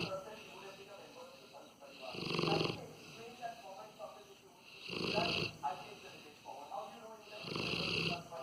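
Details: A male Rottweiler snores in loud, rasping breaths that come roughly every two and a half seconds; owner jokes the snores are meant to alert intruders.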